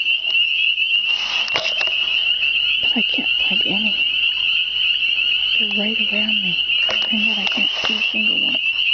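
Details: A dense spring chorus of countless unseen frogs makes a steady, high, ringing drone, with a woman speaking quietly over it, saying she hears millions but cannot find one.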